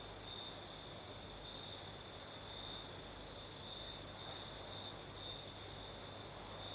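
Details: Night chorus of crickets in the Crimean south under a night breeze: an unbroken, shrill, even trill at one pitch with a fainter shimmering layer higher up, over a gentle low hum.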